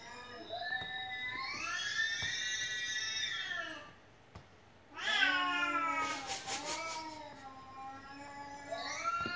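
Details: Domestic house cat that keeps crying nonstop: two long, drawn-out harmonic meows, the first arching steadily, the second starting high and sliding down, separated by a brief quiet gap, with faint ticking clicks mid-clip.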